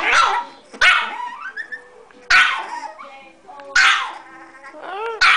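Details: Frantic barking from Bitzy, a very small pet dog: four loud, high-pitched yaps roughly every one to one and a half seconds, each bark bright and harmonic with a quick falling tail.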